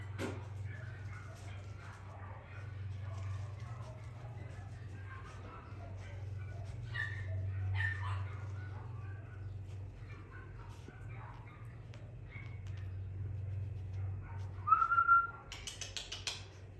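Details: Male Lhasa Apso puppy yapping in quick, uneven bursts of thin high yips and whines, with a constant low hum, people talking, and a brief whistle-like squeak near the end.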